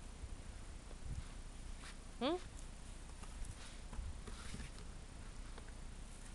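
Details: Husky puppies of Nylabell's A litter, indoors: one short, rising, whiny squeal with clear overtones lasts a fraction of a second, then only soft room noise and light handling sounds remain.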